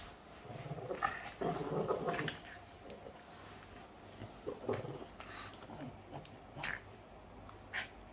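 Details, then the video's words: Boston Terrier named Yoda growling while playing, short rough growls in bursts between quieter gaps, with some scuffling noises. "Crazy dog funny growling and playing [Life of a Boston terrier]"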